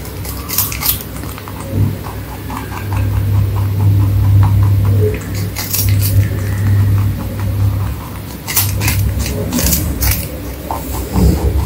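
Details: Pet bunny chewing crunchy food in a small room. Quick crackling bites come in groups, loudest at the start and in a dense run toward the end, over a low droning hum.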